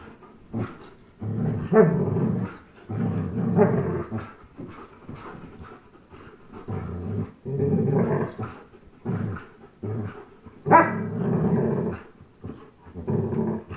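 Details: Low throaty growling from a young Old English Sheepdog and German Shepherd during a tug-of-war game indoors, rough rumbling bursts of one to two seconds repeating with brief pauses and one sharper yelp-like growl.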